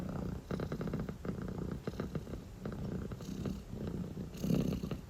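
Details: A drowsy calico kitten purrs steadily, a deep vibrating rumble in rhythmic bursts, rising slightly louder near the end; dilute calico coloring, indoors and relaxed.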